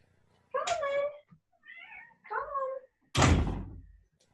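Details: A female domestic cat gives several drawn-out, wavering meows asking to be let in, followed by a loud thump.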